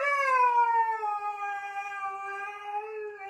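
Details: Pet dog being coaxed off a couch gives one long, steady, drawn-out howling whine that slowly falls in pitch, with no other sounds.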